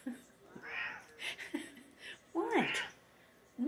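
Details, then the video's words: A pet cat indoors, wanting treats: a few short, high, bending meows, the clearest a sharp, falling mew, mixed with a woman talking to the cat. "Meow Meow Talking"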